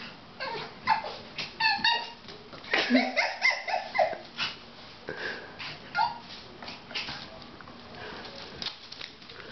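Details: Two Miniature Pinschers playing indoors, one newly arrived on its first day home; a string of short high yips and whimpers comes in bursts, with a woman talking to the dogs in between.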